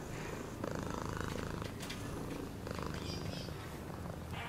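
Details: Close, deep purring from a cat, a constant rumbling buzz with rhythmic pulses and light rustling sounds on top.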